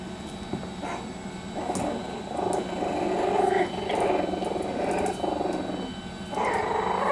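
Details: Parson Jack Russell Terrier litter at three and a half weeks, puppies squabbling with low rough growly grumbles and short muffled whines in overlapping bursts, with a steady low hum underneath.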